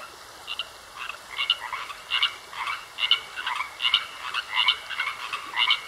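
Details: Frogs croaking in a pond, a chorus of short raspy croaks repeating roughly twice a second over a steady high insect-like whine, with a quiet opening before the calls build.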